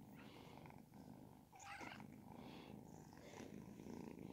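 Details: Ragdoll kittens, 10 and 12 weeks old, being stroked: a steady, low rumbling purr runs throughout, with a brief rustle near the middle.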